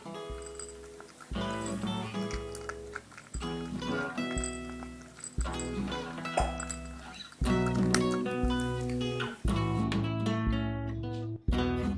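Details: Rhythmic instrumental music with plucked and percussive notes, and no animal voice.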